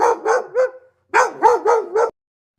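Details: A domestic dog gives a quick series of sharp, yappy barks, three then four in a burst.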